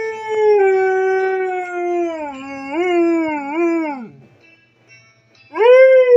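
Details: A female Siberian Husky howls along to her alarm song: a long, wavering howl that sinks lower, then rises sharply into another, with music playing.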